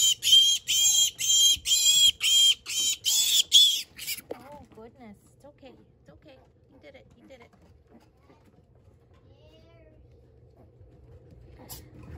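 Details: Pet piglet squealing for help after its leg is caught in the enclosure rails while its mother sow runs inside the house to it. Loud, harsh, shrill squeals repeat about twice a second for four seconds, followed by a soft human voice comforting it.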